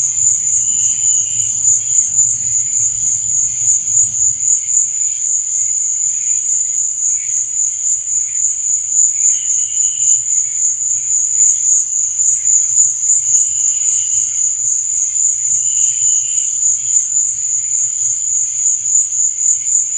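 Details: Crickets at night: a steady, high, shrill trill runs without a break through the whole stretch. Fainter, lower chirps come and go underneath, with a soft low rumble in the first few seconds.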